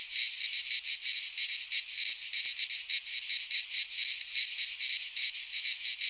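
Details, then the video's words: In a Greek pine forest at midsummer, cicadas produce a shrill, sizzling buzz that swells and dips in quick, uneven beats, roughly three or four per second. "Cicadas singing in midsummer - Nature sounds from the Greek fauna - Sounds of cicadas"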